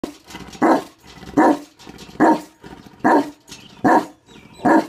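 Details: A Tibetan Mastiff barks in deep, loud single woofs, about one every 0.8 seconds, evenly spaced with short pauses between.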